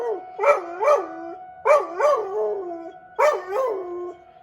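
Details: Dog responding to a weekly tornado siren drill in Rochester, Minnesota. Three bursts of short, bouncing howls, each rising and falling twice before trailing off, are heard over the continuous high siren tone.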